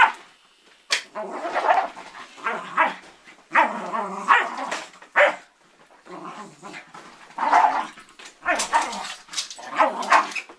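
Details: Pet dog trying to attack an ironing board, letting out bursts of rough, noisy barks and growly yaps in clusters separated by short silences.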